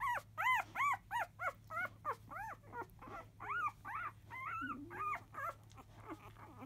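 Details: Field-type Labrador Retriever pups, five days old, born to biscuit, squeal as they start nursing after 1 pm. Quick, evenly spaced rising-falling yelps with rich overtones, about three each second, then a scattered, softer patch.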